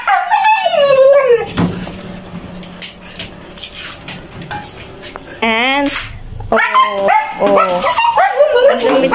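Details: Siberian huskies, three kept as pets, during their morning routine: wavering, harmonic whining and howling tones that rise and fall in bursts, broken by a quieter stretch, with people talking and clapping around them.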